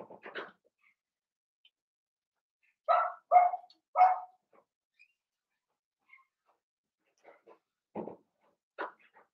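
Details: Indoor pen of five blenheim Cavalier King Charles Spaniel puppies at seven weeks: a quick burst of three sharp yips, then scattered faint squeaks and soft noises from the litter.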